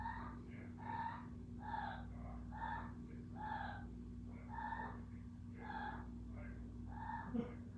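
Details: Kiko the cat makes a run of short, breathy, nasal cries, each about half a second long and coming roughly once a second, over a steady low electrical hum indoors.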